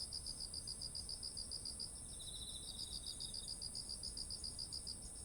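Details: Insect voices in autumn beside fields of ripe rice, recorded on a ZOOM H1essential: steady rapid high-pitched chirps throughout, a constant thin ringing hum overhead, and a quieter lower trill for about a second.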